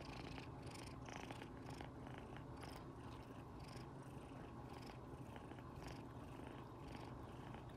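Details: Domestic kitten Rino purring loudly, happy while stroked by its owner next to resting tabby sister cats Riri and Rimu; a continuous low rumbling purr with pulsed texture, overlaid by brief rustling and petting noises.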